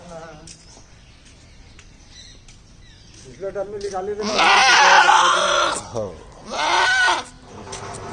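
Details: A male goat gives two loud, wavering bleats, calling out to its owner.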